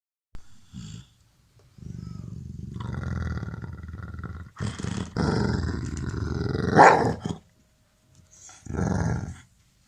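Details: A playful, friendly pet Labrador Retriever guarding its ball and pretending to be aggressive while lying down: long low rumbling growls in several bursts with short pauses, one rising into a harsher snarl.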